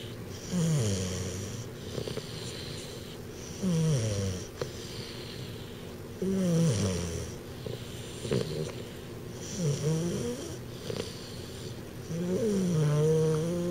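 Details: Twelve-week-old American Bulldog puppy named Dr. Timothy Stuart, asleep, snoring because of a pretty big overbite; rhythmic rasping snores with breathy, wheezing inhales and exhales, roughly every two to three seconds, in a quiet indoor room.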